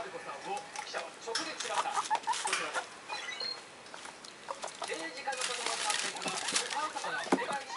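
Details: Excited house guinea pigs, two one-month-old youngsters and a six-week-old, voice their feelings in short chutting pulses and brief high squeaks. Television voices run beneath throughout.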